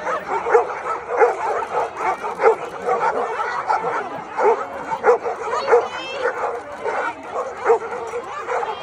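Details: Golden Retrievers, hundreds gathered at a celebration of the breed's founding, barking in short repeated yelps about every half second amid crowd chatter and voices.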